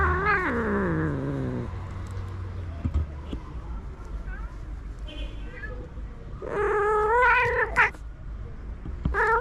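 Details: Stray tabby tom cat reacting to being touched: an opening long descending meow, a quieter stretch with faint clicks, then a loud strained wavering meow and a short final cry, over low background hum.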